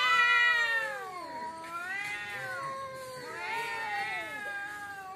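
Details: Cats fighting in front of a house: loud, drawn-out wavering yowls with rich harmonics, sliding down and back up in long moaning arcs, one surge at the start and another around the middle.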